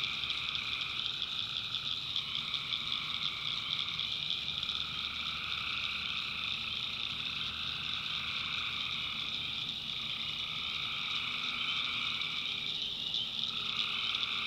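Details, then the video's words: A nighttime swamp chorus of tree frogs in North Carolina backwoods: continuous shrill, overlapping trills in stacked high bands, one layer dropping out briefly near the end, over a soft low rumble. "Relaxing Swamp Sounds at Night - Frog Heaven - Frogs"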